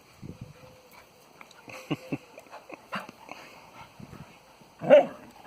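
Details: Springer spaniel and cocker spaniel, both rescue dogs, playing in a garden just after a walk: soft scattered growls and short whines build to a single loud bark near the end, with quiet outdoor background.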